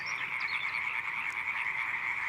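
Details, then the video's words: European tree frogs giving their mating call at night in a flooded swamp forest of the Dutch delta, Holland: a dense, continuous chorus of rapid, high, rattling croaks merging into one steady buzzing band, drowning out other nocturnal sounds. "the tree frogs mating call drowns out all other nocturnal sounds"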